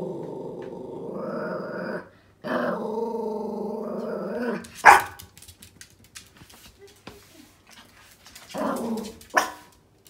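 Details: Angry female Yorkshire Terrier puppy, about 11 months old, wary of something beyond a door, gives long steady growls, then a sharp bark followed by scattered small noises, and a final growl ending in a bark.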